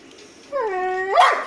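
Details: Golden Retriever letting out a drawn-out tonal whine that dips, holds steady, then rises sharply into a brief yelp, with people talking just before and after indoors.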